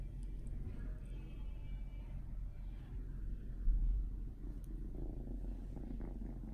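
A British Shorthair cat purrs in a steady, deep, rumbling rhythm.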